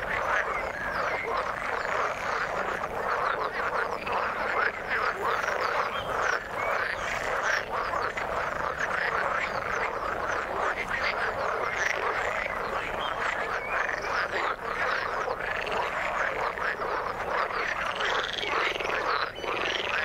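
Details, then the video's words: Frog chorus from the water, a thick ongoing mass of croaking pulses from numerous frogs. The clicks and rattles overlap without a break for the full stretch, with a few brighter, higher notes rising near the end. "Frog sound in the water"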